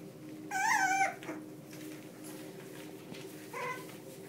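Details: Sealyham Terrier puppies, one month old, playing: a loud, wavering, high whine lasting about half a second, a soft scrape, then a shorter, lower whimper near the end, all over a steady background hum.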